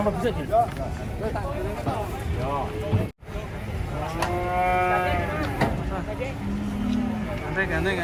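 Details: Agitated cattle being unloaded from a truck. One animal gives a long, drawn-out harmonic moo of about a second in the middle, over engine rumble and people talking.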